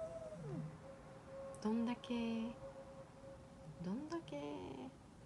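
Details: Domestic cats indoors, a two-to-three-week-old calico kitten newly rescued meeting the resident black cat; two short bursts of harmonic, rising-then-level meows about two seconds apart, with soft speech and a steady faint hum behind.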